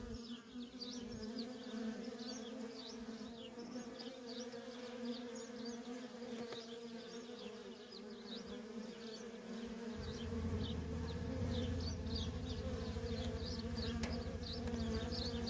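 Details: Worker honey bees in nonstop traffic at a feral colony make a steady, droning hum with layered low tones. Faint, quick, high chirps flicker above it. The buzz grows louder and deeper after about ten seconds.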